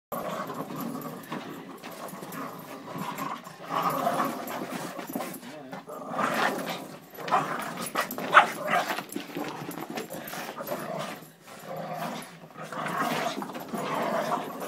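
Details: Three Boston Terriers (Canis lupus familiaris) go after a pig together, panting, snorting and giving short rough barks while people talk in the background.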